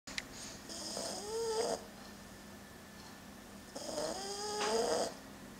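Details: French Bulldog puppy named Udon, male, asleep hugging a plush toy: two snoring breaths, each a rattling nasal rise with a hissy upper band, about three seconds apart, in a quiet room.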